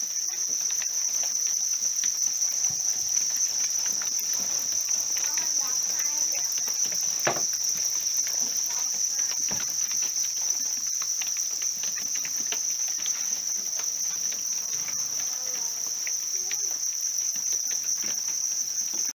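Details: Reared house crickets sustaining a dense, level high-pitched trill without pause, accompanied by sparse crackling ticks and one sharp knock midway.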